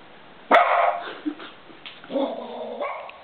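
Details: Domestic dog answering its owner's sung line "who let the dogs out" with barks, as if finishing the song: a single abrupt, loud bark, a few soft noises, then a sustained tonal voice that lasts under a second.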